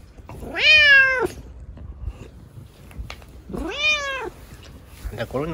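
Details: Two loud drawn-out meows about three seconds apart, each rising then holding and falling, from Chico, a pampered rescued kitten with a lame leg, being scratched by dad before bed; a third meow begins at the end.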